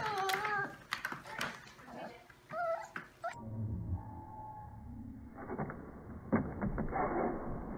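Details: Five-week-old foster puppies at play in the morning. Thin, wavering high whines with clear overtones come in quick bursts over the first three seconds. Muffled scuffling and thumps follow.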